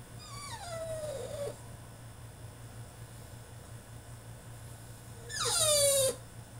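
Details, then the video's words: Caged French Bulldog in a tantrum gives a long whine that slides down and levels off, then after a pause a louder, harsher cry dropping steeply, with a constant low hum behind. "FRENCH BULLDOG THROWS TANTRUM IN HIS CAGE!!"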